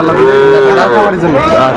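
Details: Sahiwal bull calves at a cattle market where a Dhaka farmer buys young bulls, 11 November 2024: a drawn-out, tonal moo with a rich stack of harmonics, gently falling then rising again, crowd murmur faint beneath.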